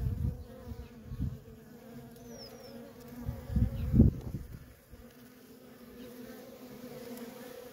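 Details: Steady low drone of worker honey bees streaming in and out of a feral colony, broken by several loud, dull low thumps and rumbles, the strongest near the middle.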